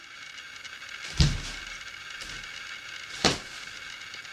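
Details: Two dull thumps on a bed and a few soft knocks are heard over a low indoor hum, with no barking or other animal voice.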